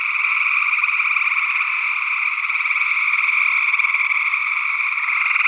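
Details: Gray tree frogs in Northwest Wisconsin, early June 2022: a thick, steady chorus of rapid pulsed trills forming a continuous buzz in two pitch bands, an unidentified second frog possibly among them.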